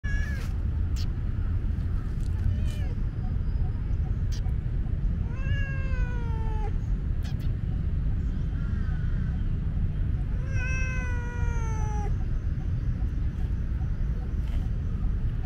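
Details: Timid, curious young tomcat kitten wary of a friendly person trying to pet him: several drawn-out, falling, harmonic meows over steady loud low rumbling background noise.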